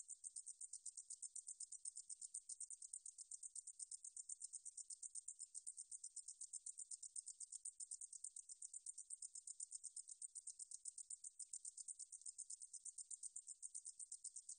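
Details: A 등줄어리쌕쌔기 meadow katydid, from a 2020 National Institute of Biological Resources recording in Korea. It sings a long, unbroken stream of sharp, sizzling pulses, high-pitched and regular at roughly four per second. No other sound is heard.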